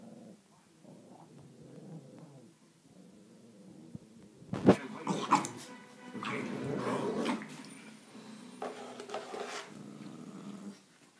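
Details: A 17-week-old Alaskan Malamute puppy having a mood grumbles low, then breaks into sharper yelps and throaty complaining bursts.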